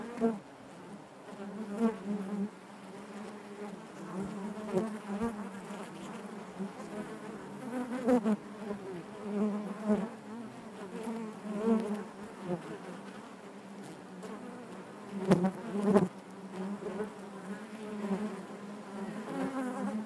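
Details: Honey bees buzzing inside their hive: a dense, steady hum layered with many overlapping wingbeat tones, swelling and fading as individual bees pass close, with brief sharp clicks and knocks scattered throughout.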